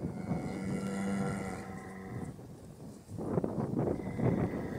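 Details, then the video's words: Irish cow lowing in a long, level, low moo lasting about two seconds, followed by rough rustling and scuffing noises. "Irish mooing cow (Irlandzka mucząca krowa)"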